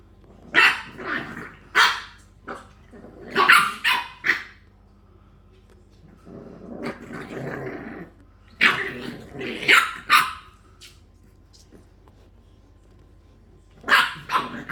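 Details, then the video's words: Several English bulldog puppies playing: clusters of high, rasping yaps and barks come in bursts, separated by a soft low growl and brief quiet gaps, then a last flurry of barks at the end. "English bulldog puppies"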